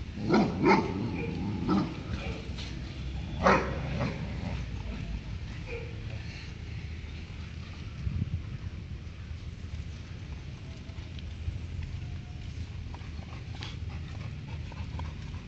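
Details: Labrador Retriever barking at another dog during play: a few sharp, loud barks spaced irregularly over the first four seconds, then a quieter stretch with low rumbling background and occasional faint yips.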